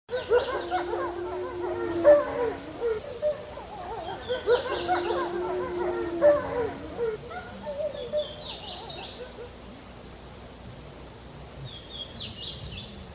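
A cricket holds a steady, very high shrill tone, with bursts of lower chattering calls from other animals.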